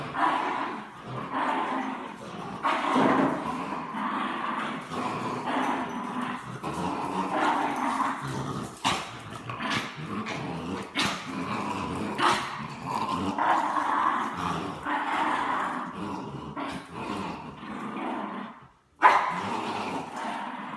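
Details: French Bulldog and Bichon Frise tugging against each other in play, filling the stretch with near-continuous gritty growling and snarling, pulsing in rapid rough surges with occasional whimpers, one brief silent break near the end.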